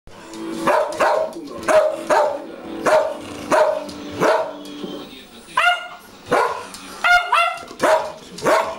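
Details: Two Schnauzers vocalizing together, one deep, one high: a run of short repeated barks roughly every half second, then rising, whining howl-like yelps with clear harmonic tones in the last few seconds.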